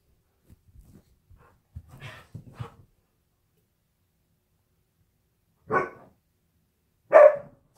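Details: Husky indoors in a shared home workspace: soft scuffling and low huffs at first, then after a quiet gap two loud, clipped barks about a second and a half apart.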